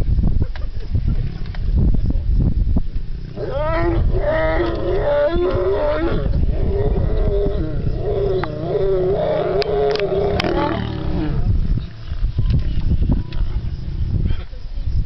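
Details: Male lion and lioness mating after waking from sleeping side by side; a loud, drawn-out snarling roar with wavering harmonic tones lasts about eight seconds, framed by deep low rumbling and breathy growls before and after.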